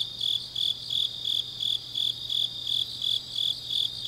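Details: Grass insects singing on a late autumn night in Changnyeong, Gyeongnam, Korea; bright high chirps repeat evenly nearly three per second over a constant shrill background chorus and a low steady hum.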